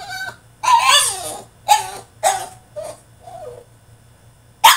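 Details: French Bulldog throwing a tantrum in his cage: a run of sharp, strained yelping barks with whiny, falling tones, five or six bursts in quick succession over a steady low hum.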